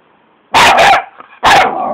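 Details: Patterdale terrier pup barking fearlessly at a caterpillar: a loud pair of sharp barks in quick succession, then a third bark about a second later, with quiet background between.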